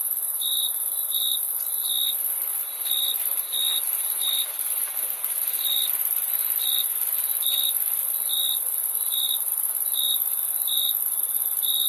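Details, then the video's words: Crickets give steady rows of brief, high, clear chirps, two or three close together then a short gap, running throughout over a continuous thin, very high shrill drone. "Crickets Chirping Sound"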